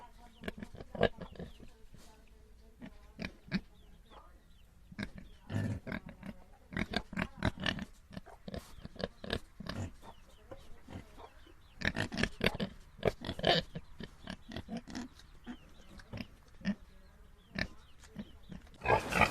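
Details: Pigs, shown as domestic and wild farm animals around a pigsty, giving short, low, gruff grunts in irregular bursts throughout, sometimes several in quick succession, with a possible brief human voice and laugh nearby.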